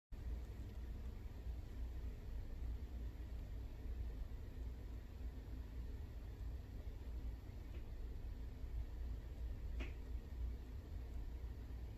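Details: Low indoor hum of a fan or air conditioning with a faint tick, and no animal sound heard.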